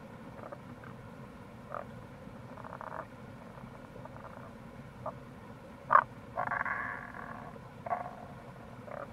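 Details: Wild Tago's brown frogs near a gorge on the Kamo River, Itoshima, Fukuoka, in April, giving scattered brief croaks and longer buzzy pulsed calls, one sharp loud croak standing out, against constant low water noise.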